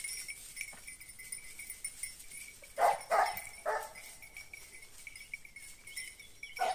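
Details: Italian hounds (Segugio Italiano) in hunting training on hare; a short cluster of sharp barks in the middle, then one more at the very end, over a steady high whine and quiet background.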